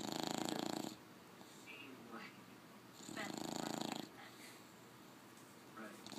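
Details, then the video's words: Sleeping bulldog snoring loudly: breathy, rasping snores in bursts about a second long, roughly every two to three seconds, with quieter breathing between. "bulldog snoring loudly"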